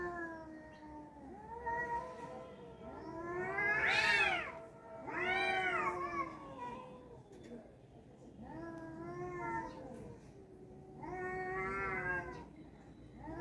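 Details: Fighting tomcats trade loud moaning yowls in four surging bouts, each rising to a strained wail then falling, separated by short quieter gaps.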